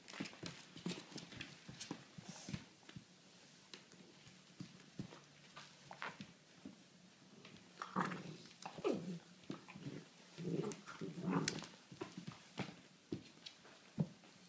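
A Vizsla gives low, grumbling moans and short whines amid clicking steps indoors.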